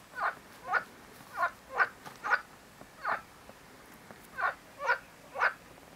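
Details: Marsh frog calling: short, rasping pulsed croaks in a loose series, about eight bursts in six seconds, each a quick rattling burst, with quiet background.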